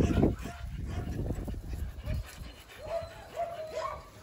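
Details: A Belgian Malinois called Thor on a field training day for obedience: a loud thump and rustling open the clip, then three clear barks near the end spaced about half a second apart.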